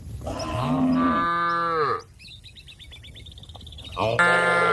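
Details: Cow in a field calling to a grazing companion: a rich, deep moo lasting nearly two seconds with a falling end, followed by a rapid twittering bird trill, then the next moo starts.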